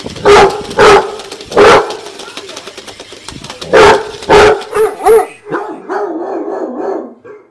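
A Basset Hound gives deep, baying barks in short bursts, then drawn-out howling tones.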